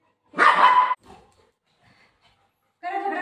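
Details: Golden retriever, playful pet dog indoors, gives one loud harsh bark lasting about half a second while a woman talks to it in Marathi about a treat, followed by a second shorter bark-like sound near the end.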